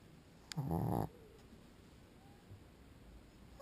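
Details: Pug dog asleep and snoring, giving one loud half-second rasping snort with a low buzzy tone, then quiet room hiss.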